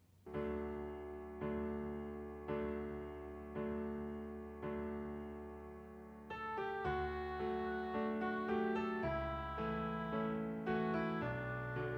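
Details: Soft electric piano music fills the whole stretch, opening with slow repeated chords before a livelier melodic line joins in. No animal sounds can be picked out over the music.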